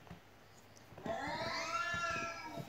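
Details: Pet cat at home meowing, reacting to cat meows played to it; after a second of quiet one long, clear, arched meow rises and falls over more than a second, with faint room noise.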